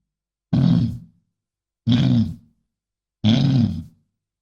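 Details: Bison giving three deep, rumbling grunts, each about half a second long, spaced roughly every 1.4 seconds. Strong low-pitched energy with a rough, noisy upper edge. Silence between calls, no other sounds.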